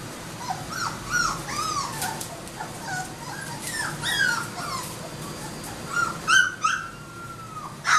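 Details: Several Labrador Retriever puppies crying together, rapid overlapping high whines and yips with rising-falling arches and one long drawn-out whine near the end.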